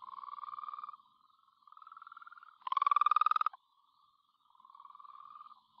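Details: Wheatbelt frog calling in a garden in the Great Southern region of Western Australia; low, pulsed trills about a second long repeat with short gaps, and one louder, harsher trill from a nearer frog overlaps the softer ones.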